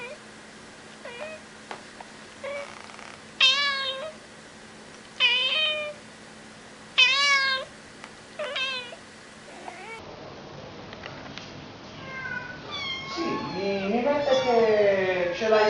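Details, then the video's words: Cat meowing repeatedly: short rising-falling meows every second or two over a low hum, then a busier stretch of overlapping, wavering meows with background noise near the end. "Funny cats sound"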